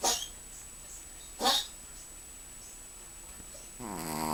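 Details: Sleeping Chihuahua named Ruby snores: two short airy snorts about a second and a half apart, a quiet pause, then a rising buzzy harmonic snore building at the end.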